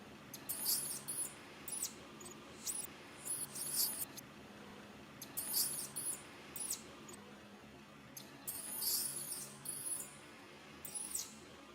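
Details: Baby monkey pleading for its mother, very shrill, thin screams in clustered bursts, each burst lasting about a second with short pauses between, over a low steady hum.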